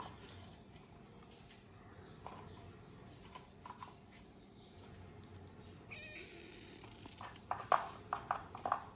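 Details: Black kitten that once could not walk and now walks and runs fast, heard indoors: short, thin, high mews come in a quick cluster near the end, over soft rustling and clatter and a faint hiss.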